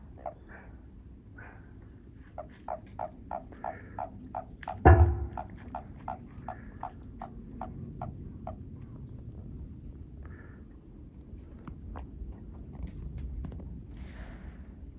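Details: Toads calling behind a house give a regular train of short, low, evenly spaced croaks for about six seconds. One loud thump breaks in, and a few scattered croaks follow over a soft low rumble.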